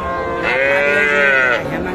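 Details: A bull or heifer calf lows at the Ambari cattle market, Dinajpur district, Bangladesh, recorded on a Friday market day, 24 May 2024. One long, rich moo swells and then fades over about a second, with murmuring voices underneath.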